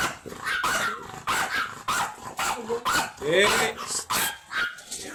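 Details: At Laoac, Pangasinan, the long-haired imported Chihuahua stud Ramboo lets out a string of shrill, clipped barks, some with a rough edge, as people chatter nearby.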